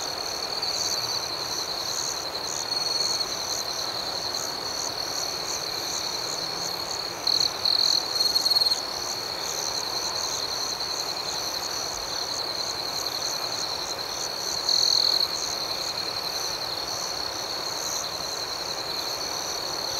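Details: Continuous high-pitched night chorus of crickets, with a nearer individual breaking in with short trilled chirps now and then, around a quarter and three quarters of the way through.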